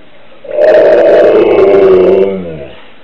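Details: Siberian Husky left home while its owner went shopping, howling like a wolf on the owner's return: one sustained, loud, mid-pitched tone of about two seconds that wavers slightly and sinks at the end, in a small room.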